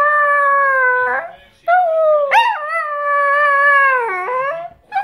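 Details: Chihuahua that behaves as though it were a wolf, giving long sustained tonal howls with strong harmonics, steady held notes broken by brief pauses, a short rising yip-like break, and a wavering dip before the final note.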